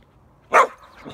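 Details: Border Collie chasing bubbles on a summer evening, letting out a single sharp, loud bark against a quiet background, with a faint softer sound trailing after.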